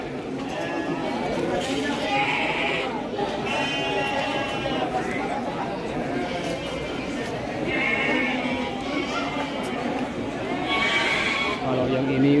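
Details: Garut sheep breeding stock at Andir market in Bayongbong, Garut, Indonesia, bleating repeatedly; wavering harmonic bleats recur every few seconds over constant crowd chatter and people talking nearby.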